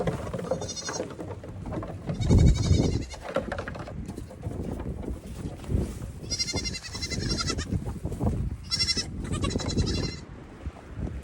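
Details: Goats in the evening, the kids running back and forth and hopping on everything while their mothers eat grain; four bursts of wavering, nasal bleats over steady low thumping and scuffling from the running herd.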